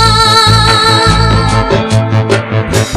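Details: Loud sustained music with held tones and a thumping low beat fills the moment, and no animal sounds are heard.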